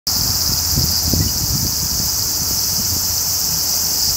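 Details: Large brown cicada (Graptopsaltria nigrofuscata) singing: a steady, dense, high sizzling hiss that runs unbroken, with low rumbling and rustling underneath.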